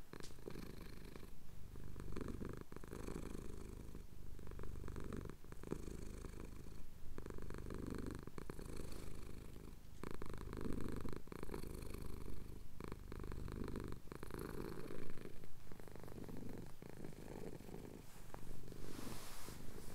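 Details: Having his chin scratched at sunrise in the Cotswolds, a male house cat purrs on a Tascam DR-07X recording; a long unbroken low rumble rising and falling with inhale and exhale, scattered soft rustles and taps.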